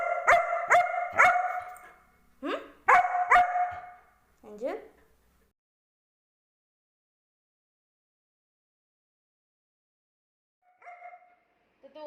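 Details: German Shepherd Angel arguing with its owner: a rapid series of sharp barks, then a grumbling, rising whine-bark over about five seconds, followed by long silence and a faint short bark near the end.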